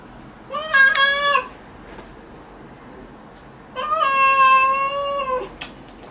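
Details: Domestic cat meowing while its claws are trimmed: two long, drawn-out meows about three seconds apart, each steady in pitch with a clear tonal quality, the second one longer, in a quiet room.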